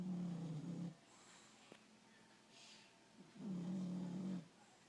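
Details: Bulldog snoring at rest: two long low rasping snores, each about a second, separated by a quiet pause, soft and steady.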